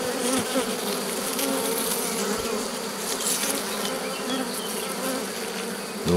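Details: Buzzing of honey bees at a drone-laying colony under rescue on 3 May 2021, where a brood frame with nurse bees was added. A dense, continuous hum with pitch wavering as individual bees pass close, ending in a thump.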